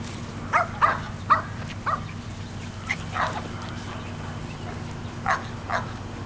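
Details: Sheltie puppies, 7.5 weeks old, playing in a yard with adult shelties and Sheltie-Cocker Spaniel mixes on 22 May 2012; short high yips come in clusters, about nine over six seconds, above a steady low hum.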